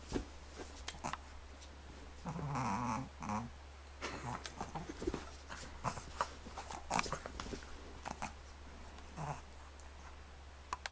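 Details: A 4-month-old Boston Terrier puppy gives short, rough growls and yips during morning play indoors.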